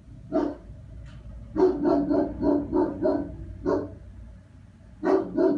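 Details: German Shepherd barking during a temperament test: a single bark, then a rapid run of six barks, one more, and a closing pair, with a low background hum.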